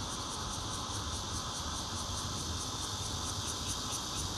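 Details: Red-veined and intermittent bear cicadas at a fourth-floor home in Zhongli, Taiwan, 16 June 2013, captured with a Nokia Lumia 820: a harsh, constant buzz with high pulses beating about four times a second.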